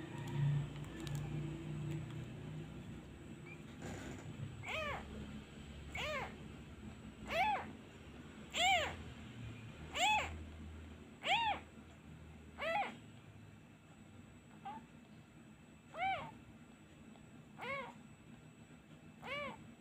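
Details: Abandoned kitten crying for its missing mother whenever a hand is taken away: a rapid series of high, arched meows, each rising then falling, repeated roughly every one to one and a half seconds after a quieter start with low rumbling handling noise.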